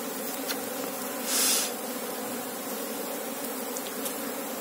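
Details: Apis cerana colony hum during a queen search: a level, many-winged buzz with a short burst of hissing noise around one and a half seconds.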